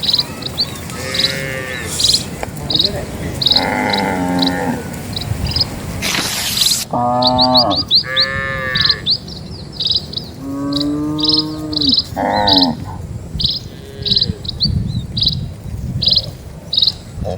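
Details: Dozens of cattle walk slowly across a quiet village road in the countryside. About five low, drawn-out moos rise over steady high chirping birdsong, with a brief loud noise burst near six seconds.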